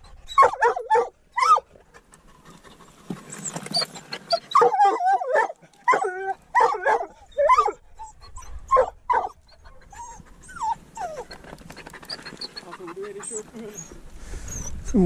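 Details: Treeing walker coonhound on a mink hunt with a dachshund. A long run of eager, high yelping barks in rapid groups, with short gaps between bouts and fainter whimpers and rustling toward the close.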